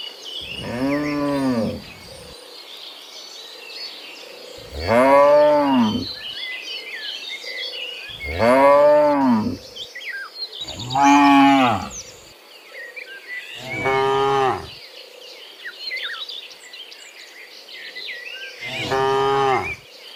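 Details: Several cows mooing in the afternoon on the way back from the fields to their pen; six drawn-out, bowed moos spaced a few seconds apart, with birds twittering and insects humming steadily behind.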